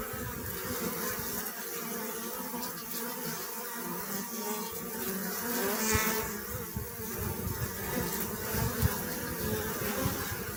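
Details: Continuous buzzing of honey bees, a thick, even drone with many overlapping wingbeats and brief brighter swells around the middle.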